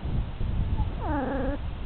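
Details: Puppy about four and a half weeks old giving a short rising-falling whine with clear harmonics, lasting about half a second, over a low rumbling background.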